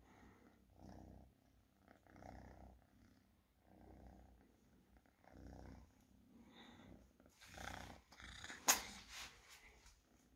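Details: Cat purring in soft, low rumbling bursts separated by short pauses, ending with louder rustling and a sharp click toward the end.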